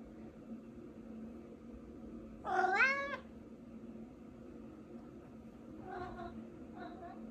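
A Maine Coon gives one loud, wavering meow, then two softer, shorter meows a few seconds later.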